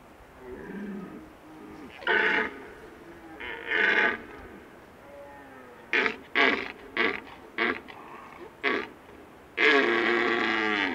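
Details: Big red deer stag whose face is partly paralysed, its right side hanging, roaring in a harsh, harmonic voice: two long bellows, then a rapid run of short clipped grunts and a final drawn-out roar.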